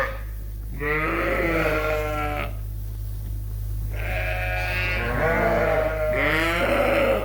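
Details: Around 8:00 at night, Suffolk lambs mixed together in a barn at Ewetopia Farms: three separate bleats with brief pauses between, each wavering and harmonic-rich, against a steady low hum.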